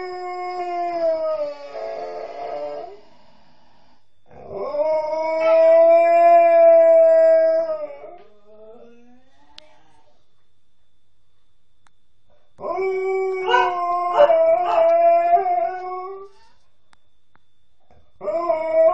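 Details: Nukka, a female Alaskan Malamute, howling while apparently missing her mum: several long harmonic howls separated by silences, some smooth and steady, one broken into rapid yips and wavering notes.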